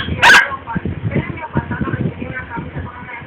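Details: A Siberian Husky playing with a boxer gives one sharp, loud bark, followed by low grumbling sounds and voices.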